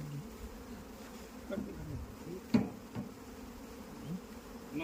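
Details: Low, even droning of honey bees on a beekeeping farm in India, with occasional knocks and a brief sharp tap in the middle over the constant hum.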